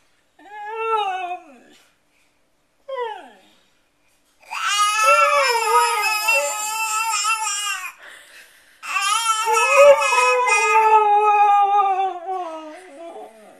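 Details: Siberian Husky howling together with a baby: two short wavering cries, then long sustained, tonal howls with bending pitch, a pause, and another drawn-out howl fading at the end.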